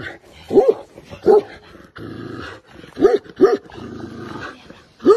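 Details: A giant Tibetan Mastiff gives deep single barks, five spaced over about five seconds, some in close pairs, with a low rumbling background between them.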